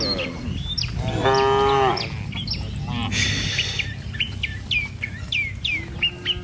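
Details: ['Herded tame village cattle on a rice-field path heading to grassland; one strong, steady moo lasting under a second, followed by a hoarse bleat-like call, while small birds chirp repeatedly in quick, sharp notes.']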